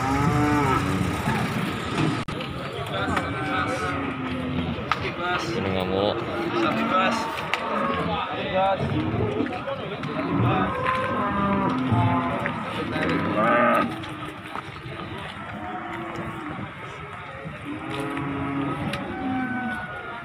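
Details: Cattle at Margorejo cattle market in Pati, Indonesia, 13 May 2020, coming down from a truck; many low moos overlapping in a noisy market with voices, engine drone and occasional knocks.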